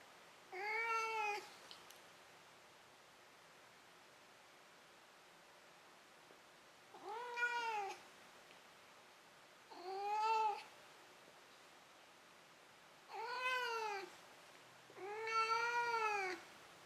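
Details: Indoor cat Maru meowing after a bout of running and catching his toy, just before sleeping: five brief rising-falling meows spread unevenly over about sixteen seconds, with quiet pauses between.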